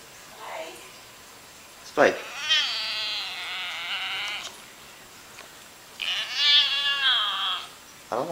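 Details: Domestic cat voicing strange noises in reply to its owner: two long, drawn-out, quavering meows with bright harmonics, each lasting over a second, separated by quiet and brief speech sounds.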